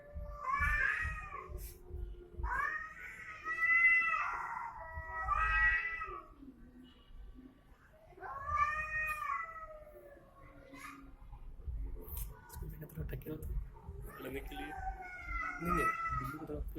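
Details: Cat fight between domestic cats: repeated harsh yowls and wavering howls in bursts, with low growling between them, some scratchy noise and faint background music.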